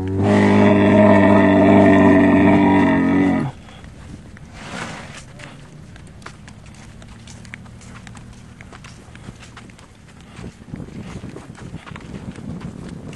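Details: Dromedary agitated and jumping during a ride, giving a loud, rich, low groaning roar held for about three and a half seconds before breaking off, followed by quieter rustling and handling noise.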